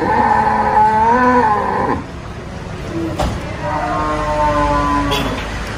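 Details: Jumbo cattle at the Sibreh animal market in Aceh Besar, Indonesia, giving two drawn-out harmonic moos: one about two seconds long with a slight rise, then a quieter second moo after a pause, with market murmur behind.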